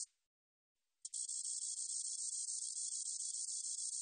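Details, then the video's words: Spotted meadow katydid in a 2020 National Institute of Biological Resources recording: a short buzz ends, a second of silence follows, then a sharp onset opens a steady, shimmering high trill lasting the remaining three seconds. "점박이쌕쌔기, 여러번 듣기, 곤충소리"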